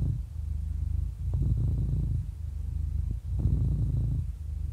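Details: Happy 11-year-old domestic cat purring indoors: a deep, steady low rumble swelling and easing with each breath, roughly one cycle every two seconds, with a short pause near the middle of the recording.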